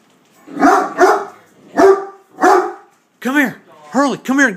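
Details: Great Dane named Hurley in attack mode at a beer keg: four loud, rough barks in quick succession, then a man's voice calling him with 'come here'.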